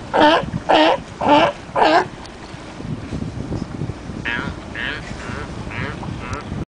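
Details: Four loud, hoarse sea lion barks in quick succession, then fainter barks further off; some of the barks may be a tour guide imitating the sea lion.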